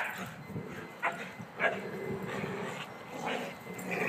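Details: Three playing dogs, Emma, Bugsy and Kuna, with five-month-old Emma among them, beside a new fence: steady low growling under several brief yips and barks.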